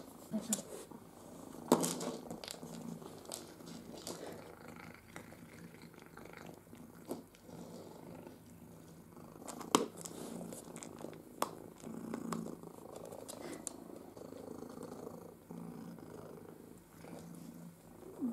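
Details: Pepper, an energetic, food-loving pet cat, purrs indoors while being taught to use an interactive ball feeder; a soft, steady low rumble runs throughout, broken by occasional clicks and knocks of the toy and brief quiet speech.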